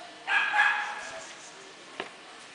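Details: Basset Hound at a dog show in Caledon giving one drawn-out, rich baying call under a second long, steady in pitch and full of overtones, followed by a short click against faint background noise.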